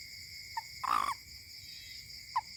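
A toad gives short, tonal hooting notes, one longer note between two brief ones.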